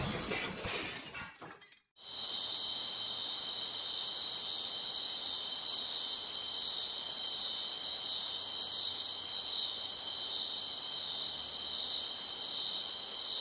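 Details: Crickets chirping loudly at night: a dense, steady high-pitched trill with a fine pulsing texture. It begins after a sharp crash-like burst and a short silence, then runs unbroken to the end.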